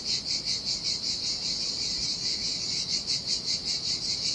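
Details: High, rasping cicada song in the heat by the Sardinian sea: a continuous buzz swelling and fading in regular beats about two and a half times a second, steadying after a brief blurred stretch, with a quiet low background.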